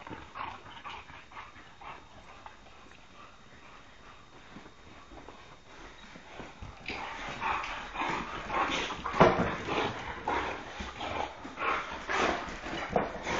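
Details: Three wild boxers at play, quiet at first, then from about seven seconds a continuous tumble of rough, broadband growling and snorting play noises rising and falling in loudness until the end, a person speaking around them.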